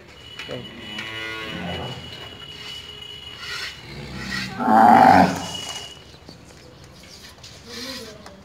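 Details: Tharparkar cow recorded around milking: a drawn-out, low harmonic moo early on, then a louder, rougher bellow midway, with rustling and handling noises throughout.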